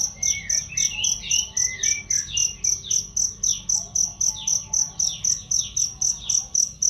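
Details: Cricket chirping as a songbird training sound, a loud, even series of about 26 high pulses near four per second, with chattering bird notes audible beneath, strongest early on.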